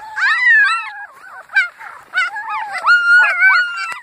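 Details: Annie's puppies howling together, several high wavering voices rising and sliding in overlapping wails, with short breaks and yelping notes between the drawn-out howls.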